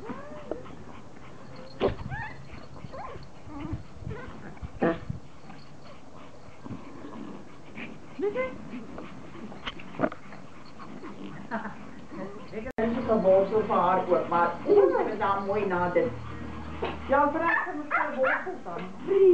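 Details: Pomeranians, several toy poms, happily greeting their owner on her return from vacation; quiet whimpers and yips at first, then a dense run of high, wavering excited whines with a person talking.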